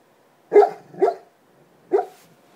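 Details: A sleeping black Labrador retriever on a normal night lets out three soft, muffled woofs, two close together, then one more.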